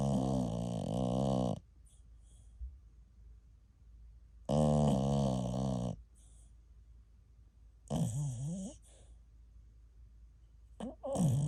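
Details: TuTu, a ten-month-old American Cocker Spaniel, snores while asleep like an old man, in a bout that lasted an hour. Loud rasping harmonic snores of about one and a half seconds come roughly every three seconds, with quiet breathing between them.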